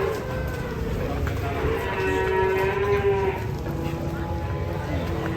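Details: Large fattened cattle being unloaded from a truck in Indonesia: a long low moo stretches through the middle, over a steady rumble of background noise and a few men's voices nearby.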